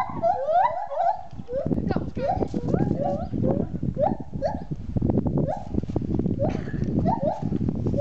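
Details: Several monkeys whooping excitedly: rising, hooked hoots repeated in quick overlapping bursts, with child and adult voices talking nearby throughout.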